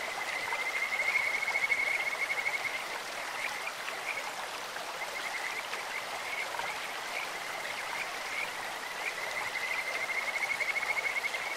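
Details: Kajika frogs calling in a clear stream: high, evenly pitched trilled whistles in a run of about two and a half seconds, then another near the end, over a steady hiss of rushing water.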